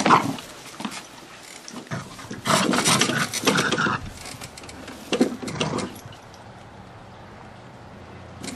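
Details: Gizmo the terrier attacking a lawnmower: rough, noisy growling bursts from about two to four seconds and again briefly near five to six seconds, then a quieter stretch to the end.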